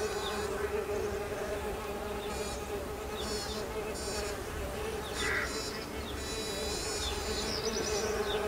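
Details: In springtime as new bees emerge, a continuous even buzzing drone holds a level pitch, with scattered thin high bird twitters and a brief chirp in the background.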